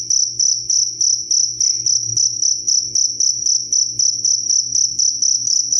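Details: Cricket song intended as a bedtime sound and songbird tutor: sharp, high, pulsing chirps in quick regular bursts, roughly four per second, over a soft low droning background.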